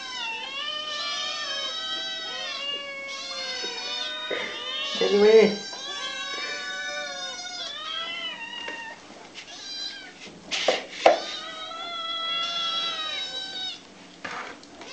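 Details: Hungry kitten crying noisily to be fed: a near-continuous run of high, tonal meows with arched and wavering pitch, one after another, broken by a few sharp knocks and rustles.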